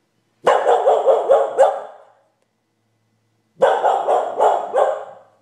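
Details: Chatty house dog barking for no apparent reason: two bursts of four to five rapid, rough, ringing barks separated by about a second and a half of silence; a person talks to the dog before and after.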